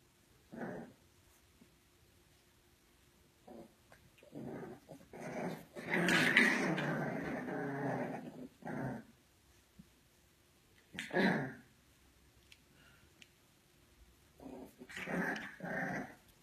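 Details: English Bulldog puppies indoors, short rough growling bursts scattered through, with one longer, louder snarling growl lasting about two seconds in the middle and more brief growls near the end.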